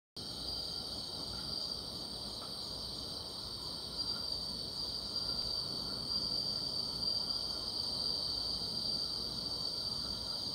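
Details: Grass insects give a steady, high-pitched, shimmering, unbroken chorus on a summer night beside a yellow-flowered wild vine.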